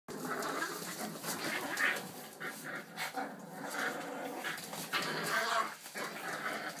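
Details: Boston Terrier puppies playing together and attacking in a unified rush, giving short growly yips, whines and panting, with scuffling noises throughout.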